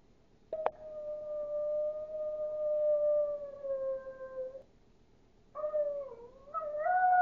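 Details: Duke, a Chihuahua, howls like a wolf: a long steady tone held about four seconds and sliding slightly lower, a short click at the start, then after a pause a wavering howl that dips and climbs higher. Quiet indoor background.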